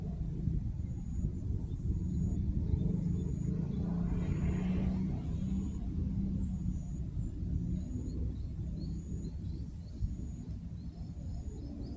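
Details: Low engine rumble of a passing vehicle outdoors, with faint high ticking in the background and no clear animal voice.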